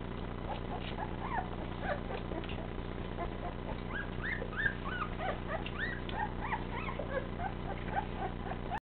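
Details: Golden Retriever puppies taking their first steps, giving many short, high whimpers and squeaks that rise and fall, scattered irregularly and overlapping throughout, over a steady low hum.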